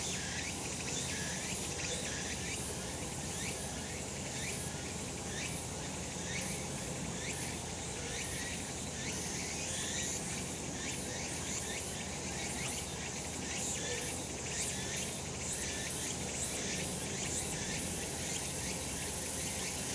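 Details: Cicadas calling on a summer mountain in a sunny spot, a peaceful rural scene: a dense, steady high-pitched buzzing chorus with rhythmic pulsing bursts throughout, over a low background rumble.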